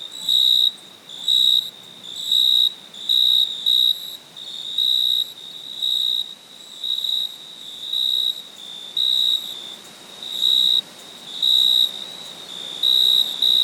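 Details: Night cricket chirping steadily: high, thin, trilled bursts recurring about once a second, occasionally in quick pairs, set against a low, even background hiss.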